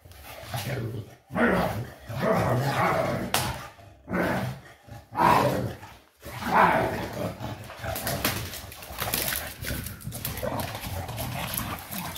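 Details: Shar pei named Eva romping wildly, letting out throaty, harmonic bark-growls in drawn-out bursts a few seconds apart, then a rougher scuffling stretch with hissing noise toward the end.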